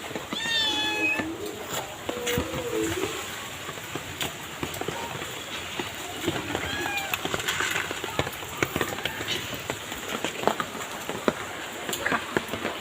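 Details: Two kittens being fed on the street by a person who feeds them daily; a short rising-falling meow early on, then a person speaking and urban background noise with clicks.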